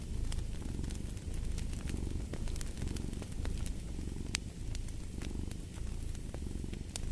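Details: Purring cat and a crackling fireplace: a constant low vibrating rumble in gentle breath-paced swells, punctuated by many quick pops and snaps of burning logs.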